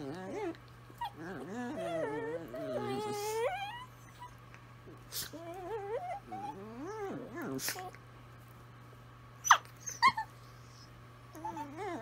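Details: Italian Greyhounds singing to each other: wavering, harmonic howls that rise and fall and overlap in the first four seconds, then shorter wobbling howls, a few sharp clicks and a low steady hum underneath.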